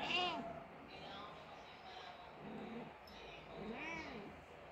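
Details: Crying of a Persian mother cat whose kitten died: a harmonic meow at the start, then softer, lower wavering cries and a second rising-falling meow near the end, with a quiet room background.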